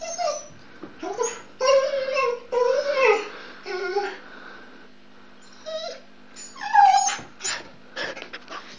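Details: Pet dog Luna gives drawn-out, nasal, groaning whines that rise and fall, in bursts about a second long, with pauses between them, while she plays with her rattle ball. A faint steady hum sits underneath.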